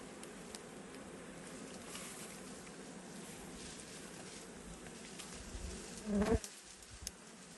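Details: Wild bees at a forest hive as honey is harvested. A continuous low humming buzz holds steady, then a loud, brief swishing rush breaks through near the end before the drone settles again.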